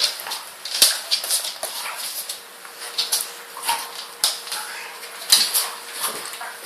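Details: Rottweiler and Staffordshire Bull Terrier in gentle play, giving short breathy whimpers and scuffling noises in quick, irregular bursts, with a faint steady hum underneath.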